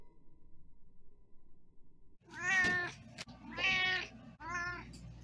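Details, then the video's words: Domestic cat giving three clear meows after a quiet start, each a rising-then-falling harmonic cry about a second long, the last one shorter. "Meows in Slow Motion- Is it a Cat or a Bear?"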